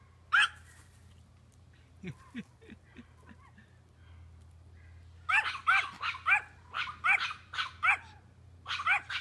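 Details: A small male Chihuahua confronts a doe that stands firm and stomps. Faint, soft yips come first, then a rapid run of sharp, bright barks spaced about half a second apart.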